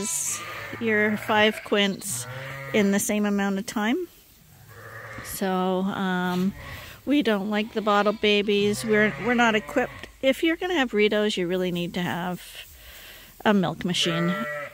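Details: Several lambs bottle fed on a farm bleat in rapid, tremulous series, clusters of wavering cries tumbling over each other, with a brief lull near the fourth second and a final burst at the end.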